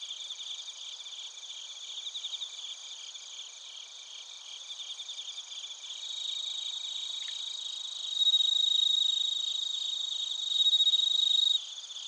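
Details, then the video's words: At Narita in Chiba, Japan, bell crickets and crickets fill the air with a high pulsed chorus, recorded on a TASCAM Portacapture X8. Two louder pure ringing trills rise above it, each lasting about a second, near the end. "スズムシとコオロギの鳴き声 - Chirping of crickets"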